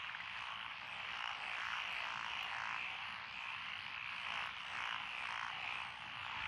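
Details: Mixed chorus of frogs in lotus rice paddies beside a rural road, Echizen, Fukui, Japan, June 12, 2021: many overlapping croaks merging into a pulsing, swelling drone that rises and falls in loudness.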